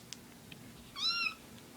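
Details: A male house cat said to be afraid of a phone ringtone gives one short, clear meow, slightly rising then falling, in an otherwise quiet indoor room.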